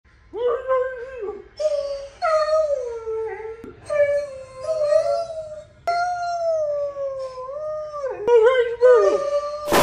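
A borzoi howls in long, wavering, mid-pitched tones broken by brief pauses.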